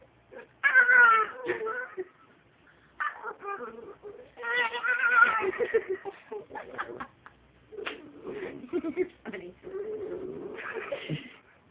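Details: Pet dachshund, called a talking wiener dog, in a small room giving a run of drawn-out, whiny, voice-like yowls and moans in uneven bursts, some sliding up and down, with pauses between; music plays and a person speaks briefly.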